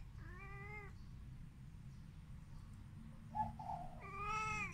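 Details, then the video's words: A Siamese cat (Wichienmaat), a pet seemingly chatting with a bird, gives two long, even, harmonic meows, one at the start and one at the end, with a brief bird chirp between them over steady low background hum. "แมวคุยอะไรกันกับนก อยากรู้จัง"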